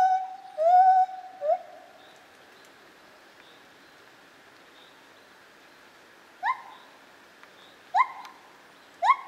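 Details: Zoo Opole lar gibbon in 2015: a long sustained hoot and a short rising note open, followed by a quiet gap, then three sharp upward-sweeping hoots at wide intervals.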